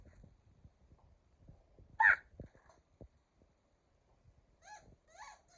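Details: Keeshond named Kumo with his favorite ball: a loud, short voiced yelp rises over low chewing and gnawing thumps, then a few brief, higher whining sounds close the recording.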